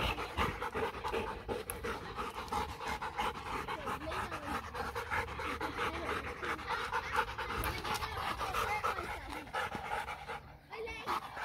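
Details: German Shepherd x Labrador dog panting during playtime: fast, breathy, rasping pants repeated about three times a second with little pause, steady throughout, a brief soft voice near the end.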